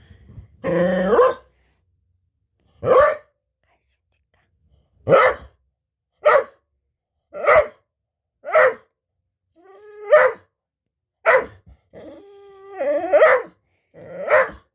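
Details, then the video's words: Talkative pet dog about to get a snack, giving a series of short, loud barking yelps roughly every second, some with brief whining tails, against a silent background. "간식 먹을까? 수다쟁이 비트"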